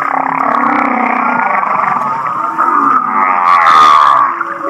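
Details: Humpback whale song recorded at Kihei, Maui, said to resemble laughing: steady wavering mid-pitched tones building into rapid pulsed, chuckle-like rising notes near the end.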